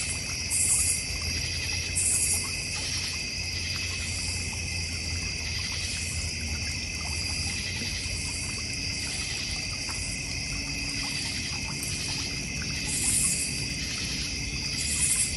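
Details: A continuous cricket chorus from a North Georgia Mountains backyard beside a goldfish and koi pond, with dense overlapping high-pitched trilling. Short, hissy bursts break in now and then above it, over faint low background noise.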